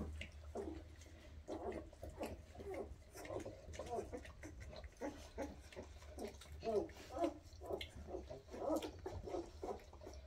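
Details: Weimaraner puppies, 2.5 weeks old with eyes newly opened, running after their mother asking to nurse; short high whines and squeaks rise and fall in scattered bursts, clustering in the second half, over low rumbling handling noise.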